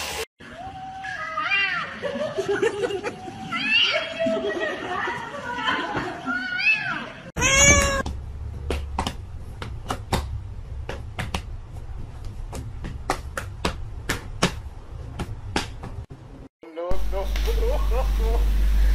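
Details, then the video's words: Several house cats meow and yowl in overlapping, sliding calls, with voices mixed in. A loud rising wail follows, then rapid sharp tapping clicks, and a final short meow over a rumbling background. "Funny Cats"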